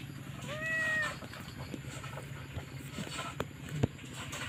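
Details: Newborn stray kitten crying for its mother: one clear, arched meow of about half a second near the start, then quiet apart from a low continuous hum and a few sharp clicks.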